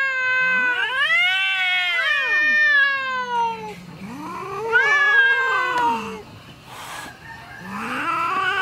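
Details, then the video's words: A female house cat, angry with a neighbouring male cat, utters loud arching howls that rise and fall in pitch, two long wailing phrases and a third starting at the end, with a brief noisy burst between. "Our female cat is angry with the neighbor's male cat"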